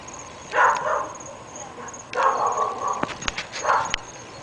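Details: Three dogs kept at a home in North Bay Village that bark morning, noon and night: short harsh barks in separate bursts, the middle burst drawn out, with sharp knocks and clicks near the end over steady high-pitched hiss.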